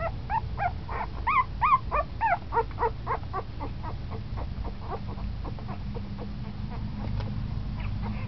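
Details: Ten-day-old puppy, newly moving about more, giving a rapid series of short, high whimpers and squeaks with rising-falling harmonic contours, loudest in the first three seconds and then fading into softer squeaks over a low background hum.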